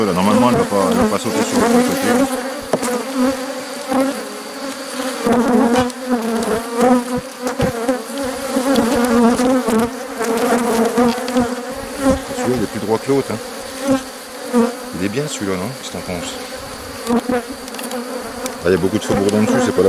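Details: Crowded honey bees buzz loudly at a drone-laying colony on 3 May 2021, after a frame of brood with nurse bees from a less gentle neighbouring hive was inserted. A steady low hum carries shifting, whining overtones.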